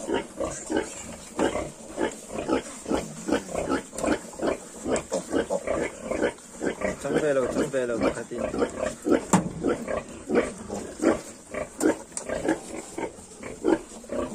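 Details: Yorkshire piglets, 22 days old, grunting in a rapid run of short pulses with a brief rising squeal in the middle; several young pigs heard together, with faint background hiss.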